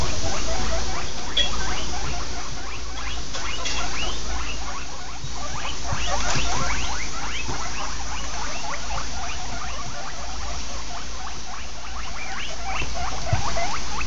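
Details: Guinea pigs on a typical morning giving rapid, continuous short rising squeaks, several each second, overlapping in a busy chatter with a steady low background hum.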